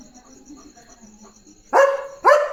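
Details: German Shepherd on evening guard duty at a farm, barking fiercely to protect his area: two loud, harsh barks about half a second apart after a quiet start, with faint steady insect chirring in the background.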